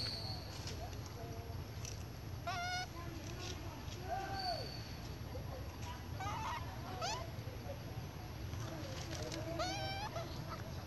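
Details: Spoiled baby monkey Sweet Pea crying loudly for milk from its mother Popeye: short, strained, harmonic wails, clustered near two-and-a-half, seven and ten seconds, over steady low rumbling noise and faint voices.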